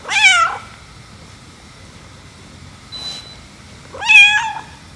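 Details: Household cat meowing during a scene of a white cat jealous of the black cat being petted: two strong, nasal meows about four seconds apart, each arching up then down, with quiet room noise and a soft click between them.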